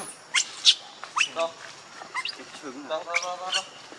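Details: Monkey named Rainbow, very angry while protecting Lucie from Kachoy: sharp, high squealing shrieks in short bursts, then lower wavering harmonic cries that bend up and down, with brief pauses between outbursts.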